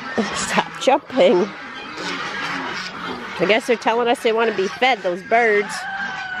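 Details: Six-week-old Great Dane puppies taking their first bath, which they hated. Short, high, wavering whines and yelps come in quick bursts with brief pauses between them, mixed with a person's voice in the background.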